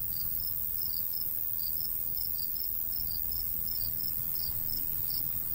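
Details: Crickets in summertime countryside near golden wheat, their high chirps arriving in uneven doubled pulses, slightly overlapping, over steady breezy background hiss.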